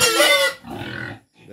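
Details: Native pig at feeding: a sharp, harmonic squeal lasting about half a second, then a softer rough grunt and a short pause.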